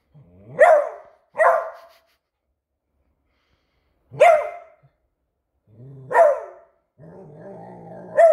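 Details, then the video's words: Pet Beagle indoors in alert mode over a new squeaky toy, giving loud, sharp barks: two quick ones, a pause, then two more spaced about two seconds apart, ending with a low rumbling growl running into another bark. "Which Toys Cause a Beagle To Bark?"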